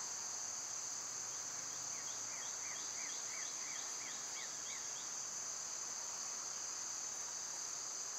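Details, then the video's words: Summer cicada chorus, loud this time of year, as a flat high-pitched whine throughout, with a double row of quick rising chirps repeated about ten times in the middle before fading. "Birds & Squirrels w/ Cicada sounds"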